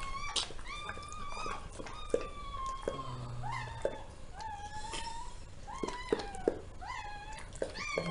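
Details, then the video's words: Zoe's newly born puppies, part of a litter of ten (six girls, four boys), squealing indoors as she gives birth: rapid series of short, high, tonal squeaks, many bending downward, with soft handling sounds between. "Zoe delivering her puppies"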